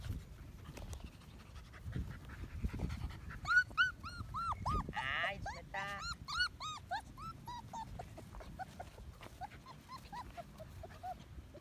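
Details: One-month-old medium poodle pups whimper and squeal in a rapid series of high arched cries, several overlapping, with a brief snuffling burst in the middle and quieter squeaks trailing off.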